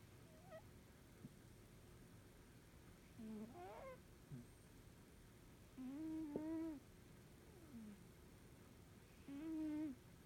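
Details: A comfortably sleeping Norwegian Forest Cat snoring in a small room. Low, tonal, whistly snores of under a second, slightly rising, return roughly every three seconds against a soft background hum.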